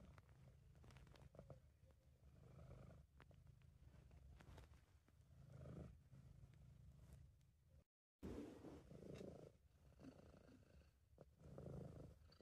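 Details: Sabu, a British Shorthair cat, purring while relaxed and content, recorded at home by an amateur: a steady low rumbling purr that swells and fades with each breath, broken by a brief dropout near the eighth second.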